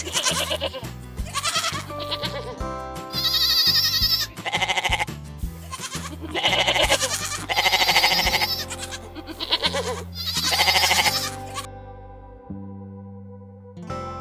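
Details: Repeated goat bleats, about half a dozen wavering, pulsed cries of around a second each, follow one another over continuous background music, which plays alone in the final seconds.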